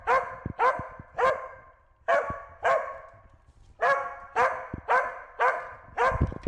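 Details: Corgi named Wynee barking while herding a bee: sharp, harmonic barks in an irregular series, roughly two per second with brief pauses, some faint thumps between.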